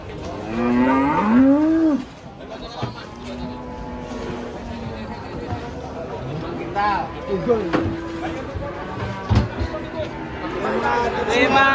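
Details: Cattle at a cattle pen in Indonesia give a loud, deep moo with rising and falling tones at the start, followed by lower, steadier lowing and overlapping calls from other cattle, with people talking in the background.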